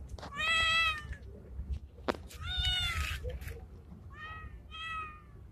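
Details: Male street cat resembling a Bengal, calling to a female while in heat: four meows, the first long and strained, the last two shorter and higher, over a low background rumble.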